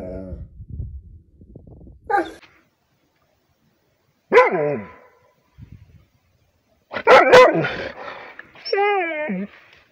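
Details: Rhodesian Ridgeback barking on command in response to a howling sound made by its owners; a few loud, harsh barks at irregular intervals, ending in a wavering whine, with quiet background noise between.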